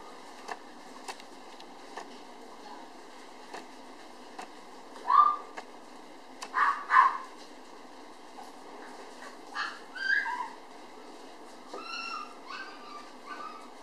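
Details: Nursing toy poodle puppies near weaning age, still keen on their mother's milk, give high squeaky whines in short clusters, some rising in pitch, spaced a few seconds apart over soft indoor background noise.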